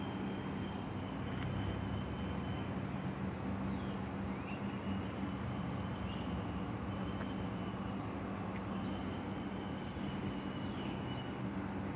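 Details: A steady, heavy drone of engine or aircraft noise with a low hum fills the whole recording, and no clear animal calls stand out.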